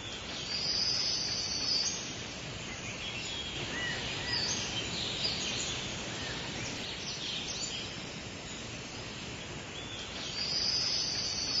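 Cicadas fill the air with a dense, high, hissing buzz, with brighter shrill bursts rising above it.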